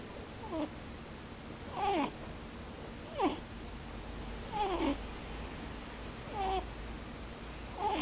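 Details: Pet rabbit snoring in its sleep with its eyes open, a 'poo-poo, boo-boo' sound. Six short squeaky nasal notes, each a falling whine with a breathy hiss, come roughly every second and a half in a quiet room.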